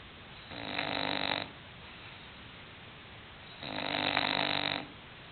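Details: English bulldog Hulk snores in his sleep: two long grating rasps, each about a second, with a quiet gap of some two seconds between.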